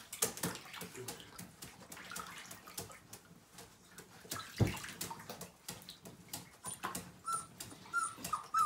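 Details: Five-week-old Siberian Husky puppy, one of a litter of nine, whimpering during its first bath in 2017; thin, high whines come in short bursts toward the end over steady splashing and sloshing bathwater.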